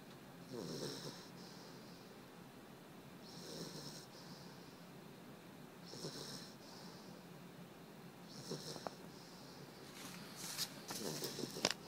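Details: Puppy named Dexter asleep and snoring, rhythmic raspy inhalations repeating about every two and a half seconds, followed by rustling and clicking movement sounds at the end.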